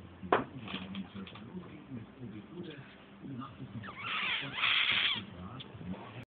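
A French bulldog whines in wavering, high, nasal tones while sulking, with low grumbling sounds beneath.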